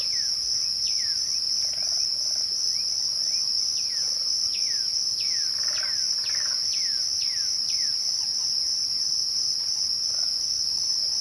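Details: Twilight cricket chorus as a constant shrill ringing tone. Over it, a second caller gives a run of falling whistled notes, clustered in the middle of the recording.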